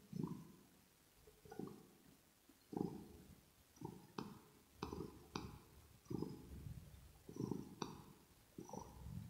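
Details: Purring kitten named Rosetta, recorded ear to ear indoors while grooming its fur: low rumbling surges in an uneven rhythm, mixed with sharp licking clicks and smacking sounds.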